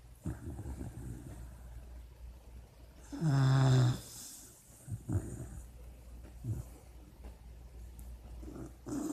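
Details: A sleeping puppy named Chanel, dreaming. A low, soft breathing rumble runs throughout, broken by one loud, harmonic growling cry lasting about a second, then quieter snuffles.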